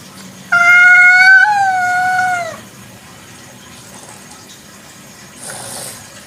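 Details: Kampung cat calling at night: one strong, two-second meow, steady then falling at the close, followed by quiet and a brief faint rustle.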